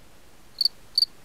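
A cicada gives short, high, thin double chirps repeated about every half second.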